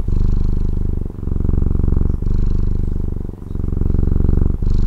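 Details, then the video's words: Short burst of a Taiwan cat's purr, a strong low rumble pulsing through about four breath cycles, with short gaps where the sound dips between breaths. "Satisfying Cat Purring ASMR | Relaxing Cat Purring Videos"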